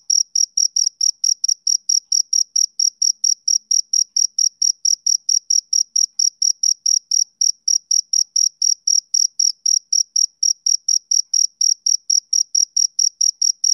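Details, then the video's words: A male cricket gives a long run of high, clipped chirps at a steady pace of about four per second with a faint overtone. No other sounds. "Cricket Chirping Sound Effect"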